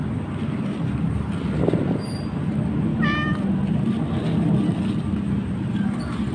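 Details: Hungry stray orange kittens, three with their mother, at a market, waiting for food. A single short, high, harmonic meow rises out of a steady low rumble of background noise about halfway through.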